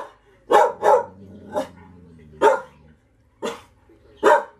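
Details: Golden Retriever barking while playing: short sharp barks, a quick pair then single barks spaced roughly a second apart, with a faint low hum between them and laughter afterwards.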